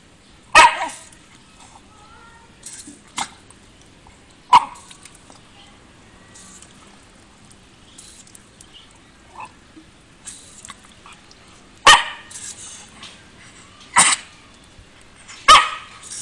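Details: Bath-loving Shiba Inu dog barks in short, scattered single yelps with long gaps between, growing more frequent toward the end, over soft background rustling.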